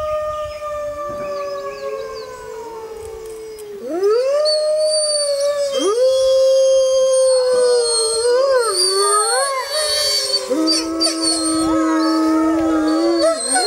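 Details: Pack of six Arctic wolves howling together, long gliding howls overlapping in a dense chorus, voices rising, falling and wavering at different pitches, some held steady, others breaking into short yips and whines.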